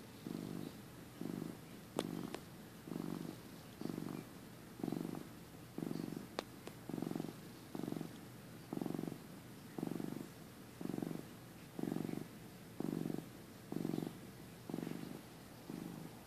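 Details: Domestic cat purring while napping, a young male filmed in early 2015 soon after joining the family: soft low rumbling purr in regular pulses about once a second, each breath marked by a burst, with quiet indoor background.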